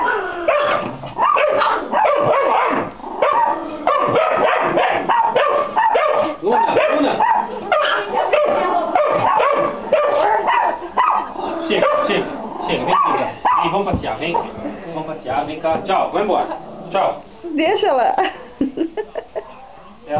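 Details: Pit Bull crossed with Yorkshire Terrier barking and yipping almost continuously for twenty seconds, high excited yelps running together in rapid bursts with a few short pauses and faint speech in the background.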